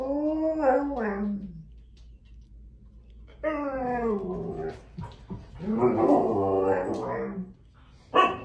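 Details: Siberian husky; howling talk; talking back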